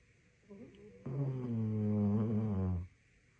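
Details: Labrador Retriever asleep, giving a long, humming, moan-like snore that drones steadily for nearly two seconds after a softer lead-in, in a quiet room.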